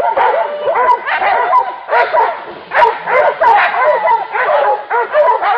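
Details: Hunting dogs pursuing a wild boar, several voices yelping and baying over one another in dense, arching bursts that rise and fall, with barely a pause between overlapping calls.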